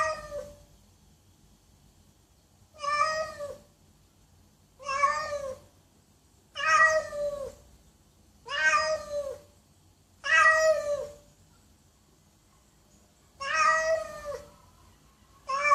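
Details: Loud meowing from a domestic cat, seven drawn-out harmonic meows spaced roughly two seconds apart, each with a slight rise and fall, nothing else audible between calls.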